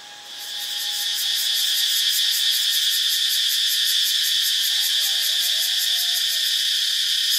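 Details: Cicada song from Ubon Ratchathani, Thailand: the buzz swells up over the first second into a loud, pulsing drone beating about four times a second, with a faint thin tone and a soft, lower sliding sound near the end.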